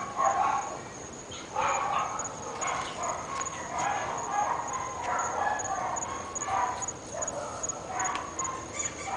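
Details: Barking from three household dogs in North Bay Village, a racket neighbours hear morning to night. Somewhat distant, muffled barks repeat in loose groups every second or two, with a thin steady high tone behind.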